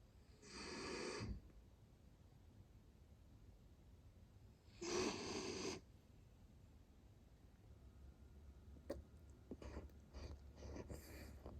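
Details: A male Miniature Dachshund, sleeping snuggled under blankets in Dublin, Ireland, gives two breathy, rasping snores about four seconds apart, each under a second, followed by faint clicks and rustling in a quiet room.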